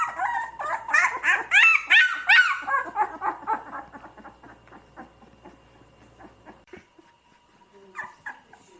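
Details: Puppies whimper with rapid, high, wavering cries that crowd together early, then thin out into faint, scattered whines and soft yips before a couple of louder cries at the end.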